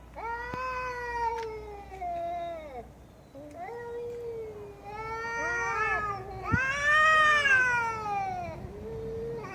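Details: Cat meowing loudly in a series of long, drawn-out meows, some falling in pitch and others rising then sliding down, with a brief click midway.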